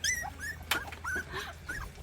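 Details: Three 40-day-old rural mixed-breed puppies in the countryside whimper while trying to climb stairs. High, thin whines rise and fall in short slurred notes with one sharp click, and a person coaxes them between cries.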